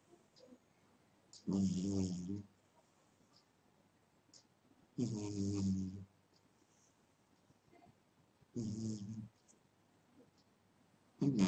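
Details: Sleeping pet cat snoring indoors: three loud, low, rumbling snores with a harmonic buzz and an airy hiss, each about a second long, spaced roughly three seconds apart, with quiet pauses between breaths.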